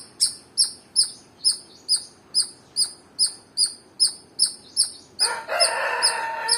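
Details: Squirrel giving a dozen high, sharp chirps at an even pace of just over two per second, followed by loud rustling, crackling noise near the end.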